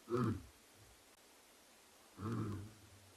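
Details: Two male lions vocalising at night at andBeyond Ngala Private Game Reserve, South Africa, on 9 September 2021: two deep, hoarse grunts about two seconds apart, each lasting under half a second.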